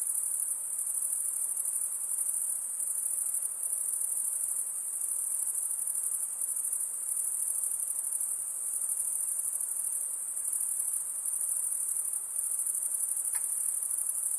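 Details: Shrill, high-pitched insect chorus sustained without a break, a bright buzzing ring at constant loudness, with one brief faint click near the end.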